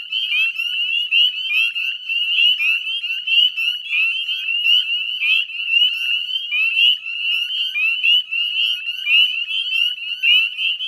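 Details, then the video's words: Dense chorus of northern spring peepers at dusk on 18 May 2020, beside the Chezzetcook salt marsh wetlands in West Chezzetcook, Nova Scotia, Canada; countless overlapping high, rising peeps blend into a continuous shrill ringing with no other sounds. "Northern Spring Peeper Chorus"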